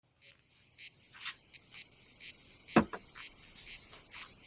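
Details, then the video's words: Cicadas on a summer day at a campsite above the Adriatic Sea in Croatia: a steady high buzzing band swelling into pulses about twice a second, with a sharp knock near the middle and faint camp clatter. "Silent ASMR vlog with nature cicadas sound"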